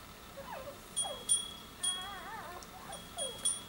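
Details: Newborn Soft-coated Wheaten Terrier puppies of a new litter giving thin, wavering squeaks that rise and fall, several in quick succession, over bright ringing chime tones and a quiet room.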